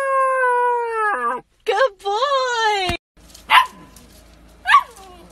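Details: German Shepherd puppy in a home compilation: a long, steady, harmonic howling note that drops at its end, then a rising whine, followed by two short sharp barks over quiet background.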